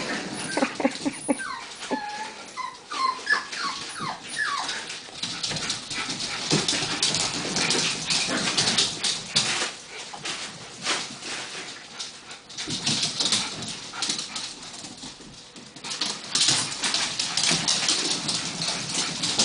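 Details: Miniature Schnauzer puppies playing with a crisp packet: a burst of high, wavering whimpers and yips in the opening seconds, then loud crinkling and rustling of the packet dominating the rest.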